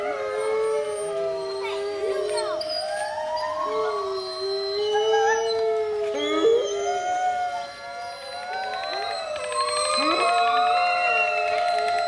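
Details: Group howling at Monde Sauvage, with people joining the wolves. Many wavering, overlapping howls rise and fall at different pitches in a dense chorus, swelling again toward the end.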